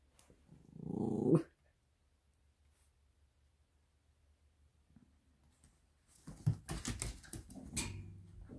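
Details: Italian Greyhound puppy, aged eight weeks, biting at a bed, lets out one loud rasping growl that swells for about a second. A long quiet follows, then bursts of scratching and rustling.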